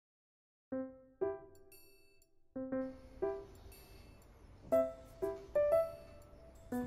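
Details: Gentle chiming music plays, with bell-like notes struck one at a time at an uneven pace over a quiet background.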